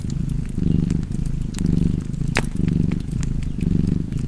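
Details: Domestic cat purring beside a crackling fireplace: a low, rumbling purr swelling and fading in cycles about once a second, with sharp fire crackles and pops scattered over it.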